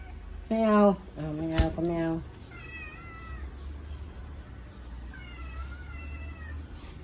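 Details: Domestic cat crying as the father and older brother go, refusing to get down from the vehicle; a person speaks loudly first, then two long, wavering high meows follow over low engine noise.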